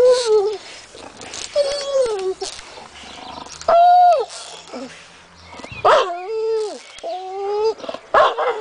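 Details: Female American Staffordshire Terrier crying in a back garden, frustrated by another dog hanging off a tree. Repeated wavering whines with bent, falling tails, interrupted by short barks.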